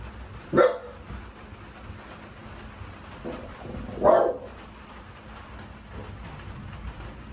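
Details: French Bulldog indoors in a sunroom at night during a thunderstorm as slow Typhoon No. 10 nears Kansai, Japan, with rain audible. Two sharp, isolated barks about three and a half seconds apart over a steady low background hum.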